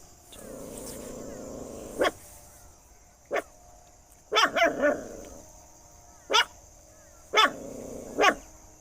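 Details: Dog barking loudly: sharp single barks spaced irregularly, a quick burst of three near the middle, over a low steady background hum.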